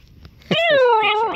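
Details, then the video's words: Pet Corgi greeting its owner at home: one loud, drawn-out tonal whine with rich overtones, starting high and sliding gently downward over about a second, ending with a slight upturn; quiet room noise before it. "Corgi greeting"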